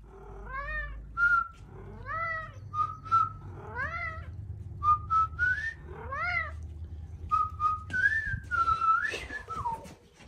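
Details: A pet cat named Eddie answers a person's whistles: four rising-falling harmonic meows alternate with short, flat, level whistles, and a run of wavering whistles closes the exchange indoors.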